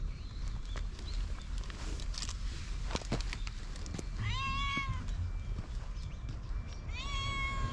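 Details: Stray cat rushing up for affection, GoPro HERO8 recording: after rustling and clicks, a clear rising-then-falling meow, then a second similar meow near the end, against low background hum.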